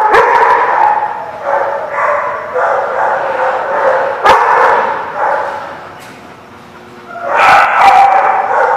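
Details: Many dogs barking together at a place called The Barking Lot, recorded 11/3/17; dense overlapping barks and yips repeating several times a second, with a brief lull near the end before the chorus swells again.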